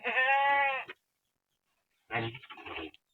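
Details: Goat having its horns cut, held tightly, giving one loud wavering nasal bleat lasting about a second, followed after a pause by rougher strained sounds and voices.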